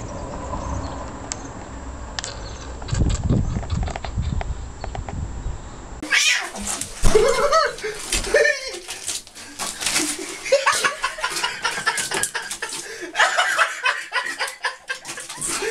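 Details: Fat domestic cat in a funny pet compilation, with short harmonic meow-like calls after a quiet opening, set among busy clattering and voices.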